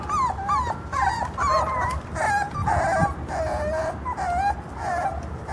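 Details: Mexican Jack Russell Terrier puppies of the short-legged type, born in October 2012, whine continuously. Bent, sliding whimpers come in quick succession with brief yips, and more than one pup calls at once against a faint low background rumble.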